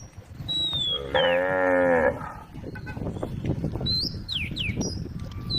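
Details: Tame road-side cows calling their friends, one full harmonic moo lasting about a second, steady then slightly rising at its end, with thin whistled bird calls before and after and a rumbling background.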